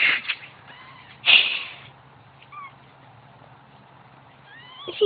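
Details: Newborn kittens crying while their mother is away: thin, high, rising mews come now and then over a quiet background, with one loud rustling burst early on.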